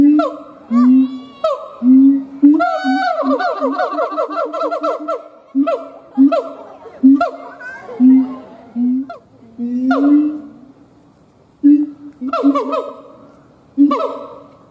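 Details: Siamang gibbon howling: deep booming tones alternate with loud, harmonic-rich swooping barks that slide downward in quick bursts, separated by short pauses.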